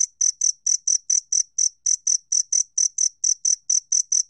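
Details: Rapid, loud chirps of a two-spotted cricket, about seventeen clear high-pitched pulses in four seconds, closely and fairly evenly spaced, against silence.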